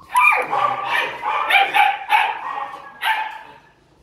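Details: Barking at a Vietnamese dog farm in Yên Mỹ, Hưng Yên: a dense run of harsh, overlapping barks, about six bursts over four seconds, with one final sharp bark at the close.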